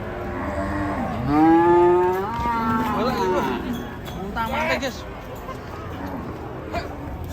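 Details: An enraged cow bellows a strong, rising-then-level moo lasting over a second. Shorter wavering calls follow, along with scattered knocks and a steady low rumble of background noise.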